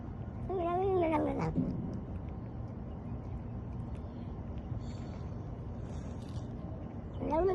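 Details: Cat giving a wavering, drawn-out yowl with a quivering pitch for about a second, then a steady low background hiss, and a brief rising meow starting right at the end.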